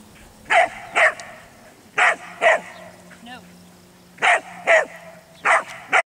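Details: Belgian Sheepdog barking while herding sheep during a training lesson, outdoors; sharp loud barks in pairs, about eight barks over six seconds with short gaps between pairs, faint low hum in background.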